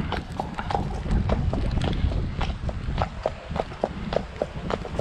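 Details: Shire horse on the road on 2 May after rain; steady clip-clop of hooves, about two strikes per second, over heavy low rumbling road and vehicle noise.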